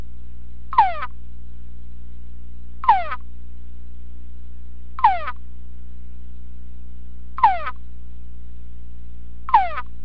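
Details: Male túngara frog in a sound-proof test box responding to conspecific chorus playback: five quick whines that slide downward in pitch, evenly repeated about every two seconds, against a continuous low hum.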